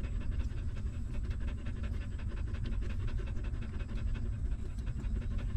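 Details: Stray mother dog nursing her newborn puppies, a hungry pup sucking milk; rapid low pulsing smacks repeat without pause, loud and even across the whole stretch.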